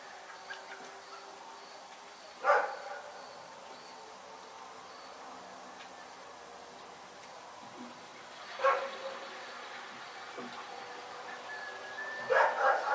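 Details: Rex, a dog, barking in the night: three separate sharp barks spaced several seconds apart, each a brief harsh burst, over a steady high insect drone and faint night background hiss.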